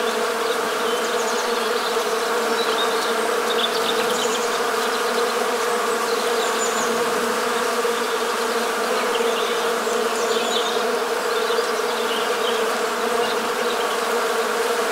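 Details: Western honey bees buzzing on 1 January 2022 in winter, countryside of Morbihan, Brittany, France: a dense, continuous, steady hum with a strong low drone, swarming with no pauses, faint higher chirps above.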